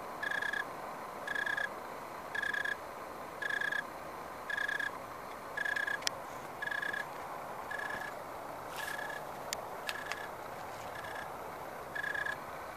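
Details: An unidentified insect in a backyard grapevine in the SF Bay Area, recorded on 29 October 2015 shortly after sundown in dry 75-80 degree weather, gives steady, buzzy chirps about once a second over a low background hum.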